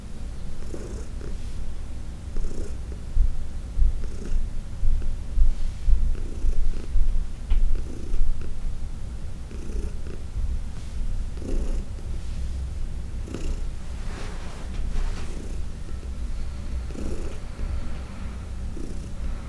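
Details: Purring of Heidi, an older shelter-adopted cat, while being massaged indoors; deep continuous rumble rising and falling in rhythmic pulses roughly every second or so, with light brushing sounds over it.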